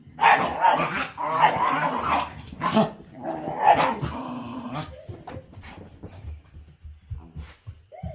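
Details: Angry white Shiba Inu, Mochi or Kome, kept as a pet in the mountains, snarling and barking in harsh, noisy bursts for about five seconds, then quieter grumbling as the fit subsides, calmed by a sneeze.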